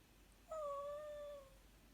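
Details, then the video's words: Black miniature dachshund indoors whining for attention, wanting its owner out of bed: one sustained, steady high-pitched whine about one second long, slightly dipping then level, ending abruptly. "My black mini dachshund is a whiny alarm clock"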